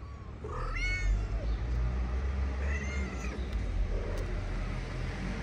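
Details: Homeless cats fed on a Moroccan street, with the mother eating as the kittens play-fight on her wooden house. Two distinct arching meows about two seconds apart over a steady low outdoor hum.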